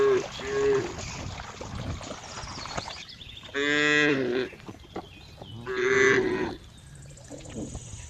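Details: Two clear, drawn-out cow moos near the middle, each about a second long and rich in harmonics, amid steady noisy background with fainter calls early on.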